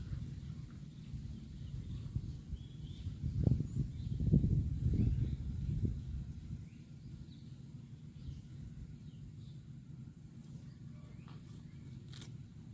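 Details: A cow grazing grass on a football field makes loud munching: deep, rough tearing and crunching bursts cluster in the middle, with quieter chewing and faint outdoor background around them.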